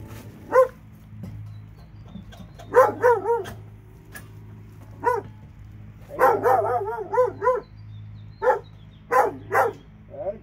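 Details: Two dogs in Alabama bark in short bursts, single yaps and rapid runs of three to five barks separated by pauses, over a steady low hum.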